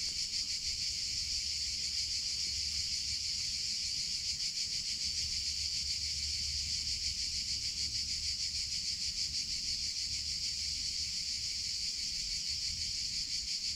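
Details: Cicadas in summer, males singing: a loud continuous buzzing drone, high and steady, with a fine rapid pulsing texture throughout and faint low rumble beneath.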